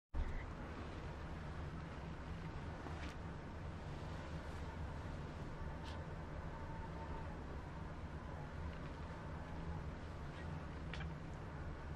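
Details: Constant low rumbling hum and soft broadband noise with a few faint clicks, without any animal voice.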